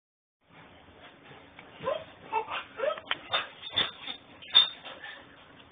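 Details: Puppy whining in Houston, Texas, recorded on a mobile phone: a string of short, high whimpers and yips, some rising, spaced roughly every half second, over a low steady hum.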